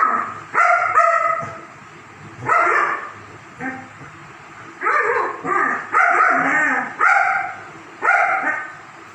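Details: Several German Shepherds at play: sharp, high barks and yaps come in quick clusters, often doubled, about ten bursts with brief pauses and faint background rustling.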